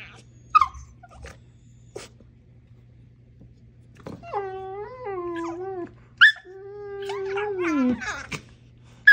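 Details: A female Siberian Husky playing with a dachshund: short scattered yips, then two drawn-out, harmonic, talking-style whines, each wavering and bending slightly downward and lasting about two seconds.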